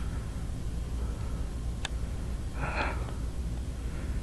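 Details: Only low steady room hum with a brief click and a soft breathy rustle, no animal voice.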